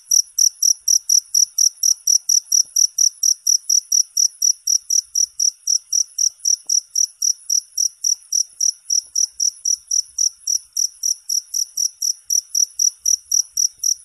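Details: Unbroken cricket chirping, high-pitched pulses with a ringing overtone, repeated steadily about four times per second against silence.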